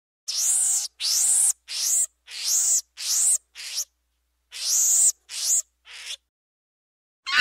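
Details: Monkey calling in a jungle setting: a series of shrill, harsh screeches, each about half a second long. They come in quick bursts with short silent gaps between them. The clip ends with one more abrupt cry.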